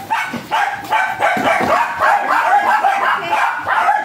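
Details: Japanese Spitz at a stud service in Aringay, La Union, barking in a rapid run of short sharp yaps, several per second with brief pauses, over a faint background of other noise.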